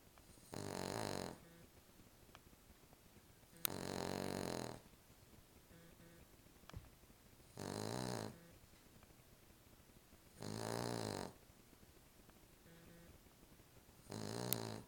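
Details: Female Cavalier King Charles Spaniel snoring in her sleep on a pillow indoors: five loud rasping snores spaced about three seconds apart, rough and broadband with a low buzzy base, soft whistling exhales and small clicks between.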